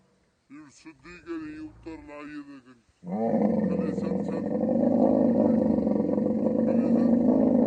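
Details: Camel in the mating season in the Thar Desert, Pakistan. Several seconds of human talk come first, then a sudden loud, coarse roar that grows slightly and carries on, steady and gurgling, to the end.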